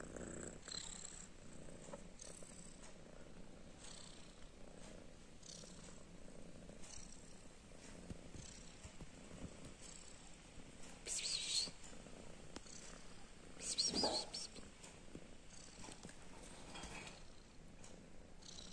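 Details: Domestic kittens with their mother, purring: a steady low rumbling texture throughout, with brief brighter rustles and a short louder burst near fourteen seconds.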